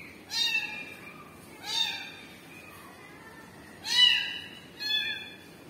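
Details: Kitten crying for its mother cat: four loud, high, harmonic meows, each rising then falling, spaced about one to two seconds apart, the later two sharper and more strident, over a quiet indoor background.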